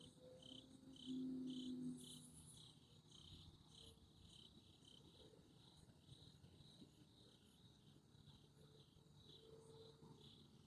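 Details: Crickets chirp steadily on a Sunday night, a high pulsing trill repeated several times each second.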